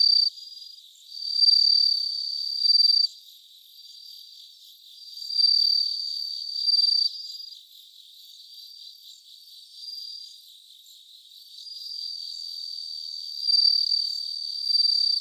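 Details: Live recording of bell crickets, 3 September 2023, near three in the morning; bright ringing trills last one to three seconds, separated by softer stretches where quieter insect chirring continues.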